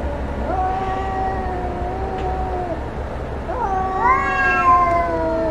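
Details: Domestic cats fighting: long drawn-out wailing yowls with steady harmonic bands, a first howl held about two seconds, then a second rising, strained yowl that swells louder near the end, over low background hum.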